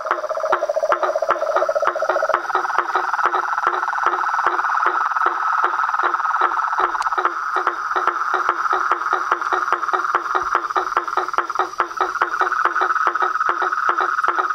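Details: A symphony of frogs, toads and treefrogs, mixing a sustained droning trill with evenly spaced knocking notes about two or three per second; a lower rattle fades out early.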